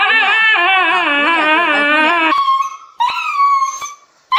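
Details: Dog howling: a long, wavering, tonal howl with rich harmonics lasting about two seconds, then a few short, high whining yelps separated by brief silences.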